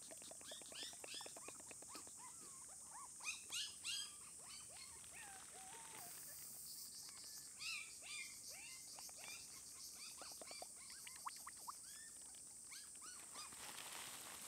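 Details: Red-coated female Shiba Inu puppy aged 27 days, whimpering and squealing almost continuously in quick, uneven bursts of high, downward-sliding cries. Clusters of sharp clicks and a brief hiss are mixed in.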